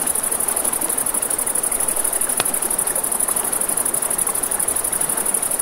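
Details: By a river at night, crickets keep up a high, even, rapidly beating trill while water rushes below and one loud campfire crack snaps midway.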